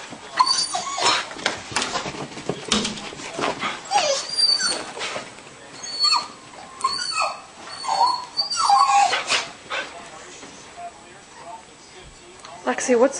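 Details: Lexi, a dog at a house on Christmas 2007, shaking and fixated on a squirrel outside on the patio, wanting to charge out the door; high thin whines and whimpers come in repeated bursts, with people talking softly nearby.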